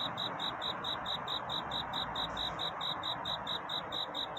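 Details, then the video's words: Cricket singing its night courtship song near dawn: regular high chirps roughly twice per second, set against a fairly loud, steady wash of background noise. "편안한 잠을 부르는 귀뚜라미 울음소리. 슬퍼 말아요 우는 것이 아니라 사랑을 찾는 노래랍니다"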